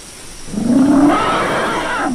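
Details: Elephant trumpeting, a loud, rough blare that swells in and rises in pitch, lasting about two seconds over a noisy background.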